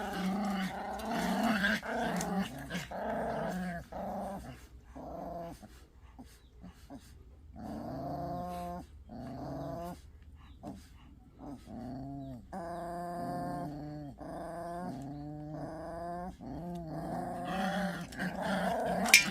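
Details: Pungsan dogs in a fight over rank, giving harmonic moaning growls in bursts of about a second with short gaps, the pitch wavering up and down, over a steady low hum.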